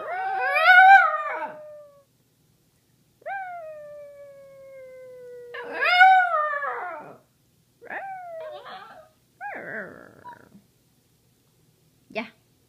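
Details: A Samoyed howls along with its owner in wavering, yodel-like notes, then gives a long falling whine and a few short yelps.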